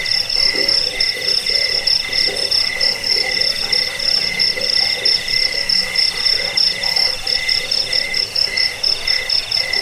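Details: Crickets recorded for repelling rats, lulling to sleep and training songbirds: dense, continuous high-pitched chirping in several bright pulsing bands, with a faint lower rapid pulsing beneath and no other clear sounds.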